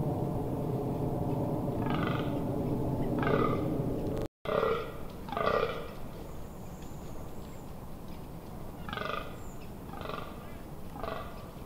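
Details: A fallow deer buck during the rut, 18 October 2021, in the Amsterdamse Waterleiding Duinen dunes, gives deep, belching rutting groans in short bursts.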